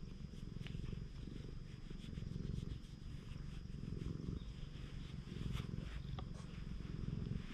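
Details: Low, even purring of a stray cat on a cat island in Japan while someone keeps stroking it, the rumble pulsing in slow breath-length waves amid scattered clicks and fur rustle.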